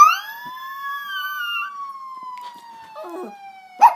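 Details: Diesel, a pet puppy, howling along with police sirens: a long, smooth, slowly rising then gently falling howl of about two seconds over a steady siren tone, ending with a short sharp yelp.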